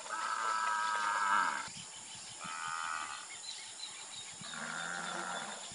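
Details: Nelore beef cattle on an extensive ranch in Brazil mooing three times in succession, each call drawn out and tonal, with faint birds chirping in the background.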